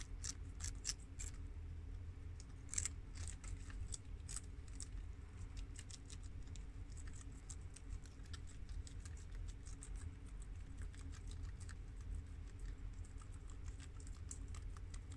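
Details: Four pet guinea pigs, boars Shiro (tri-colour American) and Crash (red American) with sows Cookie (long-haired mini yak) and Peanut (Abyssinian), eating freshly washed garden romaine lettuce; rapid crisp crunching clicks in dense bursts over a steady low hum.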